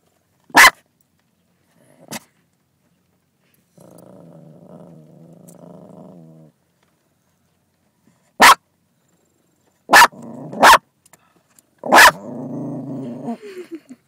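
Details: Lexii, a female dog, barking at another dog in another car: sharp single barks spaced irregularly, a couple of quick pairs, with low growling and whining stretches in between, background otherwise quiet.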